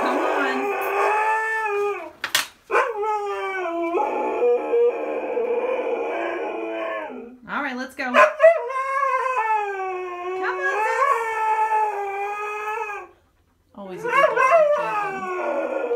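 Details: A stubborn husky dramatically protests a walk with sustained, quavering howls and yodel-like pitch bends, several long phrases separated by brief gaps and sharp yips, with some human speech underneath.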